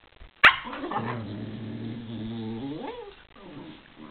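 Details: Pair of spaniels at play: one sharp bark opens, followed by a long rumbling growl lasting about two seconds that rises into a whiny note, then softer growling.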